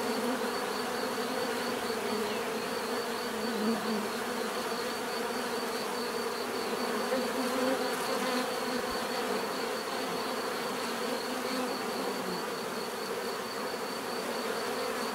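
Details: Steady swarm-like hum of bees, rich layered low-mid drone pulsing subtly, a thin sustained high whine overhead, level holding even from start to finish.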